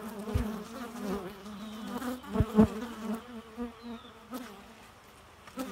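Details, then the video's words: Low, continuous bee drone with a slightly wobbling pitch, swelling louder around the middle, punctuated by a few dull thuds and clicks. "Bee Noise"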